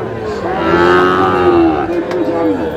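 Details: Sahiwal calf at a cattle market in Kushtia, Bangladesh; one long, level, harmonic moo lasting about two seconds, slightly falling at the end, with market voices behind.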